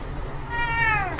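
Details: A cat giving a single short meow that holds steady then falls slightly at the end, over a steady background hum.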